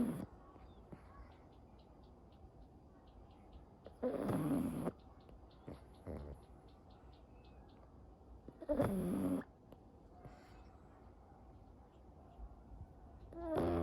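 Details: A pug that falls asleep easily, snoring through its everyday routine, awake or asleep: a low, quiet rumble of soft snores, broken by two louder, broad snorting bursts around four and nine seconds and another at the end.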